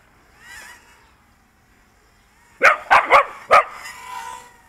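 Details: A dog lets out four loud, sharp barks within about a second, each a short rough burst, after a faint mechanical whine, barking at a small drone being flown around it outdoors after a game of fetch; it usually runs from drones.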